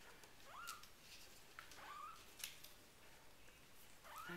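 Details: RagaMuffin kittens four weeks old from the Winter Wonderland litter give thin, rising high mews, three or four short calls spaced about a second apart, with soft clicks and handling noise indoors.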